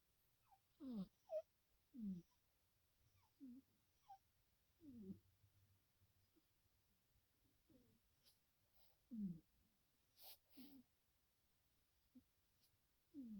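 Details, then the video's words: Two sleeping black cats, Little Missy and her son Purrfessor Midnight, snore in tandem while twitching in REM sleep, recorded 2/21/2021 indoors. Soft snuffly bursts sweep downward and repeat roughly every second, with a faint low hum beneath. "TANDEM SNARFLE SNORING"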